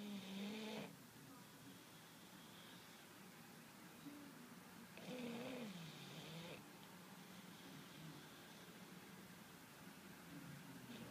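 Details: English bulldog asleep, snoring in loud rasping breaths with a wheezy, whistling tone, two strong snores about five seconds apart and softer breathing between.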